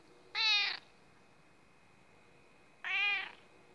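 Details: A female house cat demands her breakfast. She gives two clear, bright, insistent meows, each about half a second long, spaced about two and a half seconds apart, over a quiet background.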